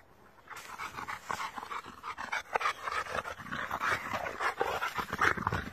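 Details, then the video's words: Boxers and an American Bulldog playing together: rapid rhythmic panting mixed with low play growls and snuffling, steady and busy throughout, with scuffling of bodies in a small room. "boxer dogs & American Bulldog playing"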